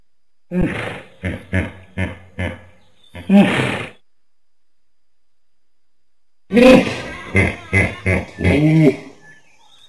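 A hippopotamus gives a series of deep, rumbling grunts and honks in two bursts.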